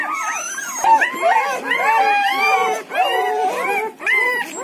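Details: Newborn Siberian Husky puppies aged one to ten days squeal loudly as a group, with many bending, wavering whimpers overlapping in bursts and two brief dips in loudness between runs of calls.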